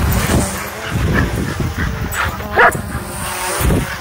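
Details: Dogs at a dog park in a wild frenzy chasing a DJI Mavic 2 drone: rapid, rough barks and yips over a low rumble, with one sharper, higher bark burst near the middle.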